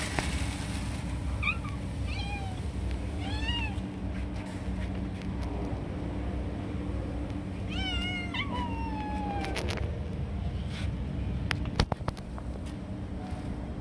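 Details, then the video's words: Stray cats jumping and snatching food from each other, fighting over it: several rising-falling harmonic meows, some short and repeated, one long descending wail near the end, over steady low hum and occasional clicks. "Beautiful Cats Jumping and Fighting for Food"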